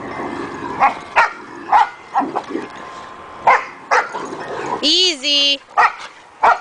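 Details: Dogs playing tug with a rope give short, sharp barks and growly yaps at irregular intervals, with a drawn-out whine or voice near the end and a person calming them.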